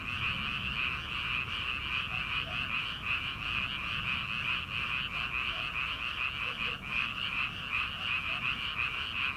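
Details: Rice paddy frogs before transplanting season in early summer form a thick continuous chorus of rapid pulsed calls, with a few softer, lower croaks occasionally breaking through beneath.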